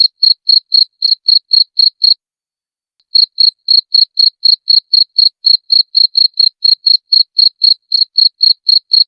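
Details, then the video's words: Cricket recorded as a clear master sound for tutoring songbirds: a short two-second run of sharp, high chirps, a one-second pause, then a steady unbroken series at about four chirps per second. The background is silent. "Masteran Jangkrik Suara Jernih"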